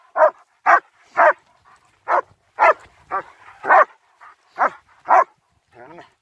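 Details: Barking from German Shepherds Nico and Zeeva during a winter wander in Hawick, Scotland, captured on a Samsung S23 Ultra: about ten short, punchy barks at uneven spacing, a few quieter yips, and a whining trailing sound at the end.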